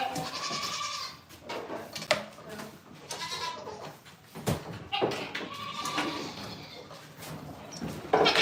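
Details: Farm goats calling with several shaky, nasal bleats in succession, some overlapping, with a little human speech and clatter in the background.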